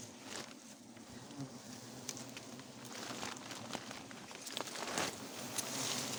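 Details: Wild forest honey bees at a nest found and harvested for honey at once: a steady low droning hum runs throughout, with crackling, rustling and tapping from the harvest.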